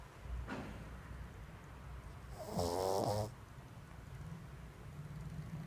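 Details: A pug asleep gives one raspy, buzzing snore of under a second in the middle, surrounded by faint low breathing and quiet room hum.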